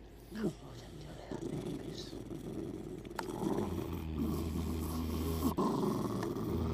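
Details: Hercules, a pet dog that is always moody in the morning yet loves hugs and kisses, gives a low, rumbling grumble that swells and holds steady in the second half, with soft household noise behind.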